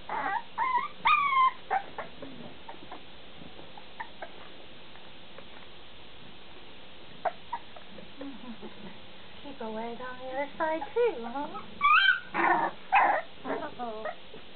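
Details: Bulldog puppies whining in bursts: a few early whimpers, a quiet stretch, then a rush of wavering cries and sharp yelps near the end, with some human speech.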